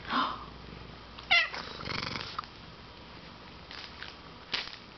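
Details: Pet cat, one of two kitties in the room, gives a brief bright meow after a loud thump, then rustling, with more soft knocks and handling noises in the background.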